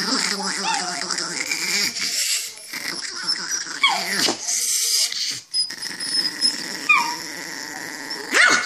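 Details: Angry chihuahua growling steadily with a harsh, buzzy snarl that rises into sharp yips and whines, the rumble holding for several seconds between breaks; a person's voice is faintly heard.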